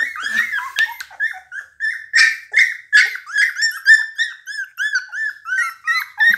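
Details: Rare-coloured Pit Bulls whining in a small room: a rapid, uneven series of short, high, arched squeaks, almost three per second, some rising and falling, with no other sounds.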